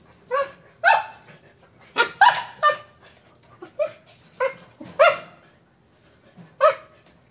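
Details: Playful puppies, a Corgi and an Alaskan, interact with a string of short sharp yips and barks, about a dozen bursts in seven seconds, some in quick pairs.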